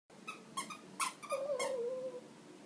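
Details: Shih Tzu puppy indoors, whining after squeaking his toy a lot: several short squeaky toy bursts, then a thin, wavering, high-pitched whine lasting about a second before fading.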